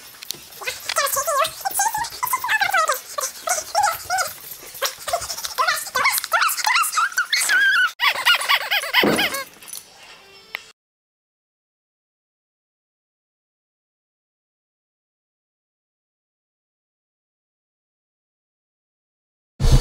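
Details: Female Boston Terrier, worked up and excited after a day of Christmas decorating; rapid high-pitched squealing yelps and barks for about ten seconds while a person talks to her, then silence.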